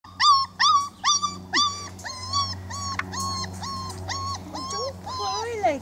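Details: A 4-week-old male Weimaraner puppy, very vocal, cries in a string of high, rising-and-falling whines, with voices briefly in the background; the litter later piles up to nap and clean each other.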